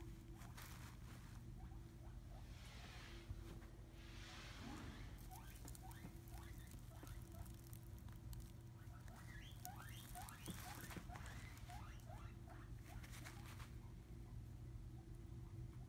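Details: Piper, a pet skinny pig, snuggles in her little fleece bed beside a new hideout. Soft bedding rustles first, then a quick run of short, rising squeaky notes fills the middle, all over a steady low hum.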